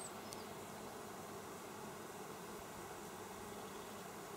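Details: Bees busy at work, recorded on 27 August 2024: a steady, dense buzzing hum with no clear breaks, forming a continuous drone throughout.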